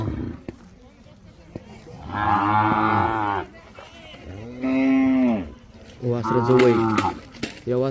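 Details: Khillar and Mysore bull calves about five to eight months old at a farm stall in Maharashtra, bred for bullock races, giving three loud drawn-out moos, the middle one arching in pitch, with a man speaking Marathi beforehand.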